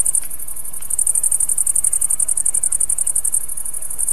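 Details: A grasshopper, either a tailed or a green grasshopper, sings a thin, very high, steady trill of quick, even pulses, about ten a second, over a faint low hum.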